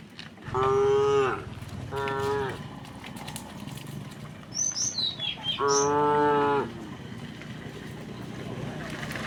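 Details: Tame cows of a herd walking leisurely to a wide pasture on a quiet, sunny morning: three moos, two short ones about a second apart, then a longer, steady one near six seconds; brief high bird chirps between calls.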